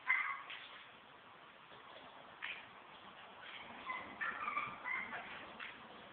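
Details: High tonal whines from an apricot Toy Poodle puppy: one sharp squeak opens, then quiet, then a run of wavering, whistle-like whimpers rising and falling near the end over faint shuffling.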